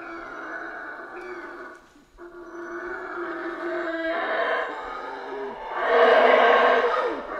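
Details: Rainforest howler monkeys of Central America give a deep, gravelly continuous roar, pausing briefly, then rising into a louder, harsher surge toward the close.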